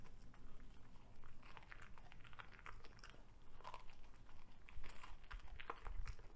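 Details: Cavalier King Charles Spaniel named Ludwig, a veggie-loving male, devouring a broccoli stalk: dense crisp crunching and biting clicks, irregular and continuous throughout, with low background rumble.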